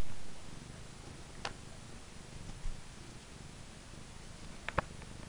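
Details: Domestic cat purring while playing with her favourite purple toy mouse indoors; a low, steady rumbling drone with a couple of brief clicks and rustles from the play.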